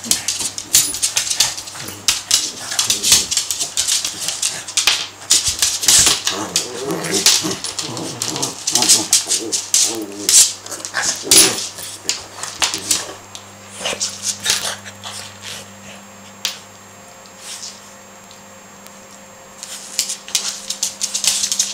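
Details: Harvey and Sam, two Cavalier King Charles Spaniels, play fighting during a romp that lasted about an hour; rough low growls and grumbles cluster around the middle amid constant sharp clicking scuffles, over a steady low hum, tailing off quieter near the end.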